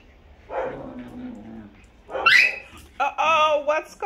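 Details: Small dogs playing together on a Sunday morning before rain, one biting the other too hard; a low growly whine, then a sharp yelp and a high, wavering whimper, with a woman's voice nearby.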